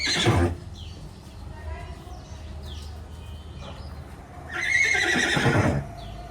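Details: Horses at a stable where another mare has just arrived. A man speaks over low background rumble, then a horse gives a quavering, high whinny that wavers and slowly falls for about a second.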